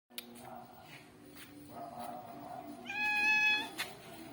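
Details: Village cat, a ginger one, at a market while cats eat rice: a short rising-falling meow with clear stacked harmonics near the end, over background hum, clicks and a man speaking softly.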